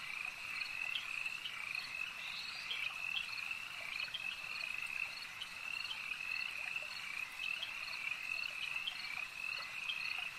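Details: Nighttime-style lake ambience of frogs: an unbroken chorus of shrill, pulsing croaks layered thickly, with brighter single calls recurring every second or so.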